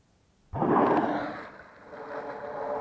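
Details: Whale surfacing beside sea kayaks on a calm sea in Bahía de las Conchas, near Bahía Magdalena, Baja California Sur: after brief quiet, a sudden loud, rushing exhaled blow bursts out and fades into a lingering hiss of spray and water.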